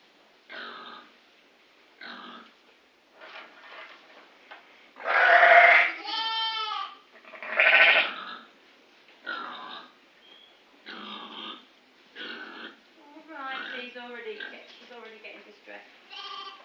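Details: Grey Face Dartmoor ewes with new-born lambs under two weeks old, with a lively ram lamb pushing other lambs and springing about on a farm. Repeated bleats come from several sheep, some loud, wavering and strongly harmonic, others short and softer, spaced irregularly.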